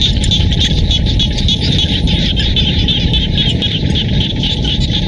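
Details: Rice-field frog chorus in rural Siem Reap, Cambodia: countless overlapping callers form a continuous, shimmering, rapidly pulsed drone, set over a low, constant rumble.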